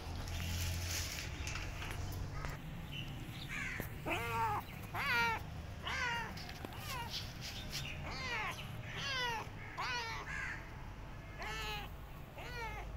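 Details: Abandoned, starving kitten limping in the street, calling over and over: a long run of arched, harmonic meows, roughly one per second, rising then falling, with steady low background rumble.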